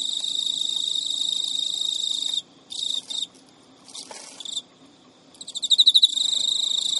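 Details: Male Emma field cricket kept as a pet in Japan, recorded at midnight in early September 2011 while chasing a refusing female: steady high trill, stuttering fragments and silences, then loud rhythmic ticks leading into renewed trilling.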